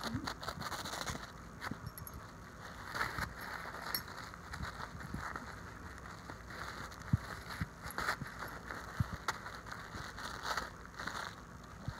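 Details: Crackling and rustling like wrapping paper being torn, with a few faint voices in the background and no animal calls.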